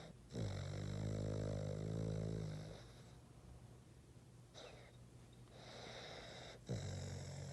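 A Boston terrier snores with deep, buzzing inhalations that rattle low in the throat. Softer, breathy wheezes follow between the louder snores.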